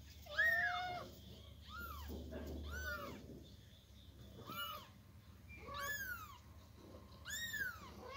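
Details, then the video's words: Loud meows from a Persian kitten being moved by its mother from box to floor: about six harmonic, arched calls, some long and sliding downward, others short, spaced roughly a second apart over a low indoor hum. "Persian cat moving her kitten from box to floor | kitten meowing loudly"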